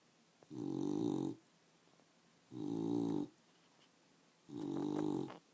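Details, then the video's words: Indoor pet dog, female, snoring while awake; three long, rough, throaty snorts spaced about two seconds apart, with faint clicks between. "Dog snoring"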